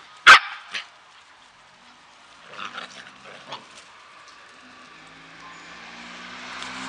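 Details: Samoyed puppies at the kennel Klbko radosti in Slovakia. A sharp, loud yelp opens the recording, followed by a shorter yip. Soft, faint squeaky whimpers come after, with light rustling and quiet background hiss.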